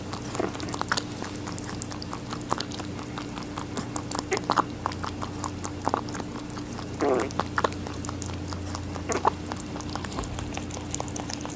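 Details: A rabbit munches watermelon, producing quick irregular crunchy clicks and moist smacking bites in bursts, with a constant low background hum beneath the chewing.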